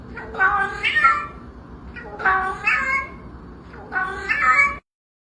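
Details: Domestic cat giving three similar complaining, nasal meows about two seconds apart, each rising and then falling, in a quiet indoor setting.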